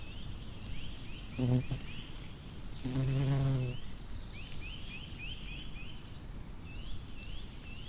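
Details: Low droning buzz of a bumblebee among flowers: a brief burst, then a fuller hum lasting almost a second as it passes close. Thin, repeated bird chirps sound throughout over a quiet outdoor hiss.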